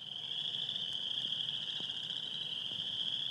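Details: Male chorus frogs giving spring breeding advertisement calls to attract females at an Iowa wetland, high-pitched trills blending into a dense, steady, shimmering drone.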